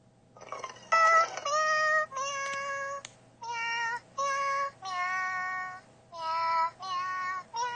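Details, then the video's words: A Siamese cat, newly discovered to "sing", yowls in a string of long, drawn-out, fairly steady-pitched meows. "Happy Pets - My Siamese Cat Singing"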